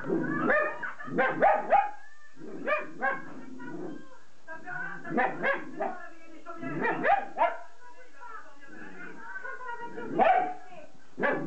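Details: Jack Russell Terrier yapping and whining in irregular bursts, short harsh barks mixed with drawn-out whimpers, about three to four calls every second, a person's voice also heard.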